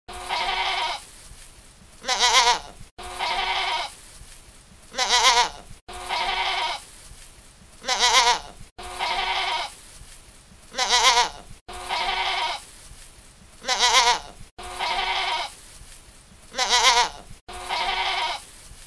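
A young goat bleats in high, wavering cries, repeated in pairs about every three seconds.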